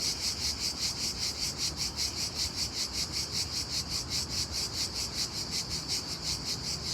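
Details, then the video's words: Daytime cricket chirping, unusually loud, with evenly spaced high buzzy pulses roughly two and a half per second over a soft low background. "Unbelievably loud cricket chirping sound in day time."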